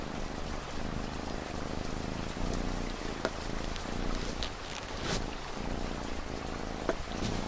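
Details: A cat's soft, even purr, a low throbbing drone of quick pulses, with light rain pattering behind it and a few sharp drip clicks.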